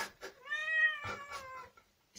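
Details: Domestic cat meowing, a tone that rises briefly then holds and slowly falls over about a second, with short bursts of human speech and household noises overlapping.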